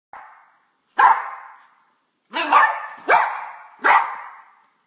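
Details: Dog barking while afraid of a bug: five short, harsh barks, the first faint and the rest loud, spaced unevenly at roughly one-second gaps, with a quiet background.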